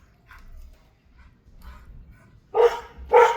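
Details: Mishka the dog outside after spotting a squirrel: soft faint sounds at first, then two loud barks near the end, with a low background rumble.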